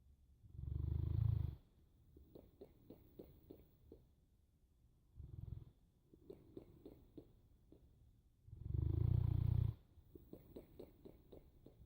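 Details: Boerboel dog snoring: three deep, rumbling low snores spaced about four seconds apart, each lasting one to one and a half seconds, with soft rapid clicking ticks in the quiet gaps between breaths.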